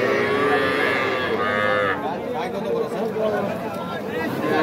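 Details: Young bulls and heifers at Aftabganj cattle market, Nawabganj, Dinajpur, 5 September; several long, wavering moos pile on top of each other, with a loud bellow early on and murmuring people around.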